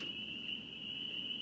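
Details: Spring peepers (Pseudacris crucifer), called tree peepers, give a steady, high-pitched night chorus ringing on as one continuous shrill tone on a summer night.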